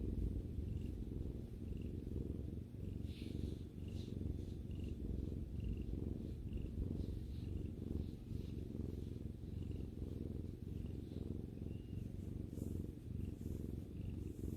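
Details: Domestic cat purring while relaxing with its owner: a steady low rumbling throb with fine pulsed texture, continuous throughout, with faint soft ticks and rustles higher up.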